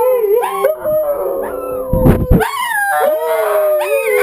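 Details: Domestic dogs howling together with wolves on a television, voicing to each other as a pack; several warbling howls overlap, with a brief burst of noise in the middle.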